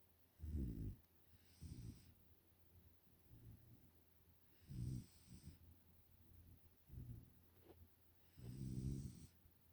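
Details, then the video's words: Sleeping Pungsan puppy Nala, five months old, kept as a pet in the United States, snores steadily: deep, rough, low-pitched breaths in short bursts roughly every one to two seconds, with quiet pauses between and no other sounds. "코골이 하는 미국 사는 풍산개 강쥐 날라."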